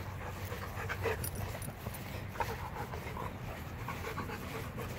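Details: Macho the Rottweiler breathes in fast, soft, airy pants with a few sharper puffs standing out, over low background noise.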